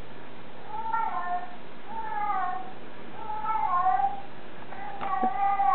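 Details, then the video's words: A black bobtail cat answers another cat's talking while trying to find it indoors; four drawn-out, wavering meows about a second each, coming roughly every second and a half, over a low steady hum. "responds to Tiggy's talking"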